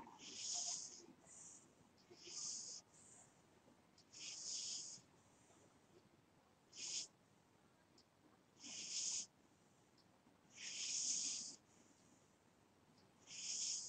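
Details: A pet cat snores in its sleep, soft hissy breaths repeating about every two seconds, some short and some drawn out, over near silence.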